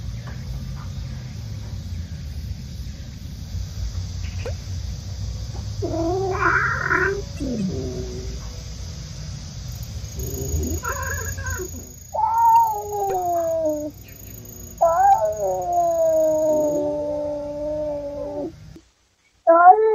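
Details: Mideok, a female stray mother cat recovering from spay surgery, meets her kittens in a recovery room. Soft calls come first, then several long, drawn-out wavering meows in succession near the end, over a low steady background hum.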